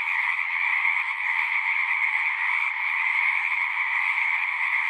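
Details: Massed frog chorus, a constant high, grainy trill from countless callers, steady in loudness, its two stacked pitch bands unbroken from start to end.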